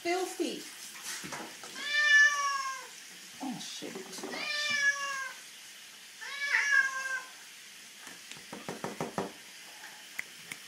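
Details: Bathing of pet cat Puss Puss, who gives three strong drawn-out meows about two seconds apart among quieter squeaks, followed by clattering and splashing water in a small room.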